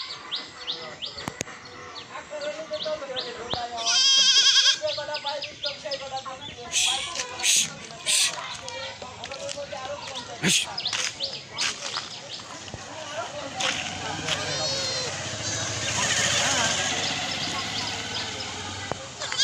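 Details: Baby goats on a village goat farm in Bangladesh, with a loud burst of wavering bleats partway through, set against steady human chatter and the high chirping of small birds around the yard.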